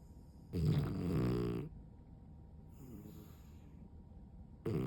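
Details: Sprawled-out French Bulldog fast asleep with eyes showing white, giving deep, resonant, droning snores about a second long, separated by quieter wheezy breaths.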